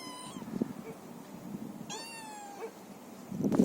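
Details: Feral cat giving two clear meows, each a tonal, slightly falling call with rich overtones. The second is longer and drawn out. Soft rustling and crunching sit underneath, and a louder clatter comes at the end.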